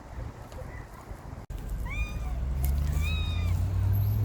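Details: Stray cats in a city come out on hearing a call. Two short, rising-then-falling meows arrive about a second apart midway, over a steady low engine-like rumble and faint background noise.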